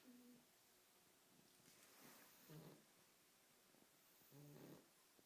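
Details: A French Bulldog puppy snores in low, buzzy, rattling bursts roughly every two seconds after a long night of playing; a cockatoo may scream in the background.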